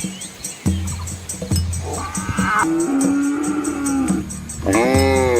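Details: Red Asian village cattle crossing a shallow river alongside calves: one long, level, sustained moo of nearly two seconds, followed by the start of a louder, richer second call, with rhythmic music beneath.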